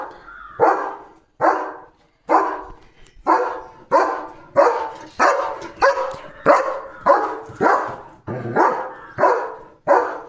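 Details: German Shepherd dog barking in the evening to chase away another dog that went into his field to eat wheat: steady, forceful barks repeated roughly every half second to second, about fourteen in a row.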